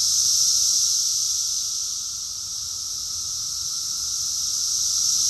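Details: Massed cicada song recorded in Rockville, Maryland, USA, in June 2021: loud sizzling high-pitched buzz that fades somewhat midway and then grows strong again, with a thin steady lower tone beneath.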